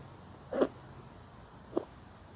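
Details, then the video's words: Street cat resting on a person's lap sneezes twice: two short, sharp bursts about a second apart, the first slightly longer, over a quiet indoor background. "무릎길냥이 재채기.."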